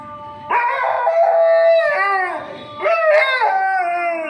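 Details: A Kanni dog howls in long, wavering tones in the evening, answering the call to prayer from a nearby mosque. He does this every time he hears it and keeps going until the prayer ends.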